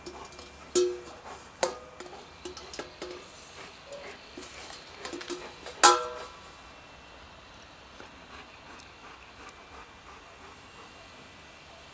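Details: Plucked ukulele-like music plays under a few sharp knocks and thumps from a dog's ball play, with no animal voice heard.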